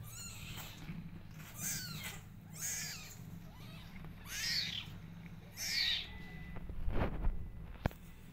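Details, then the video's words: Kittens crying as their mother comes near give a handful of high, sweeping mews spaced a second or so apart over low rumbling background noise, with a sharp click near the end. "Kittens Start Crying Whenever They See Mother Is Around"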